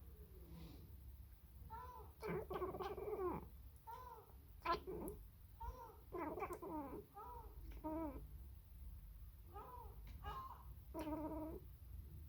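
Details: Sacred Birman cat talking to a seagull, giving a rapid series of short, harmonic chirps and trilled chatters in uneven bursts, some clustered in quick runs, with brief pauses between groups.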